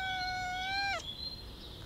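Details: Black cat uttering one long, level, clear meow lasting about a second, ending abruptly, followed by faint high chirping in the background.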